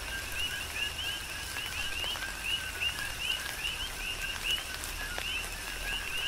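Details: A tropical rain shower on the Big Island of Hawaii with coqui frogs calling in chorus: bright rising chirps stacked on lower tones, repeated rhythmically by several frogs, with rain patter and sharp drip clicks.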